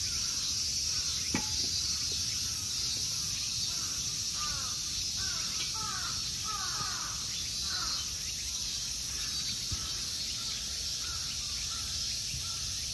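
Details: Summer insects in a temple park at Ikegami Honmonji, Tokyo, Japan: a steady, dense high-pitched drone runs throughout, while a bird gives a run of harsh, repeated caws in the middle and a few faint knocks sound.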